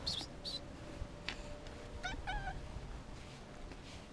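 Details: A male domestic cat, afraid and hungry and wanting food and touch, gives two short harmonic meows in quick succession, after a few brief high squeaky sounds, over a low steady room hum.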